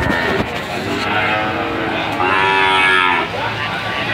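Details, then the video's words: Melodious calf call, the 'hehan' sound: a hoarse harmonic moo swells and fades, with a louder, brighter stretch in the middle, over a noisy farmyard background. "SUARA SAPI PEDET MERDU ( SUARA HEHAN )"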